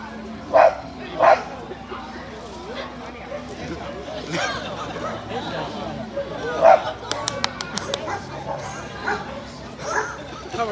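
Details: Sharp, loud barks in separate bursts, with human speech and faint background noise between them. Several dogs in a pet-experience house in Suzhou, Jiangsu, China, on 20 October 2023 bark back at a man imitating barking as he walks past; some barks may be his.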